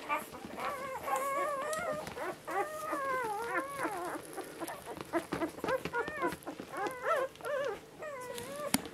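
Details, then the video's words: Seven one-week-old Border Collie puppies, five females and two males, feeding from their mother; a steady chorus of high, wavering whimpers and squeaks, many overlapping with rising and falling pitch, in short bursts with brief pauses. "1 week old border collie puppies feeding"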